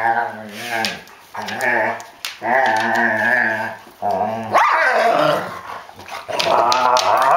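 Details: Young Rhodesian Ridgeback and her mother playing inside on a rainy day give loud, sustained play growls broken by brief gaps, rising to a harsh snarling burst near the middle.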